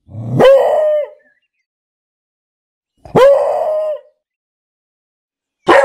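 A beagle gives loud, drawn-out baying barks, each about a second long and spaced a few seconds apart.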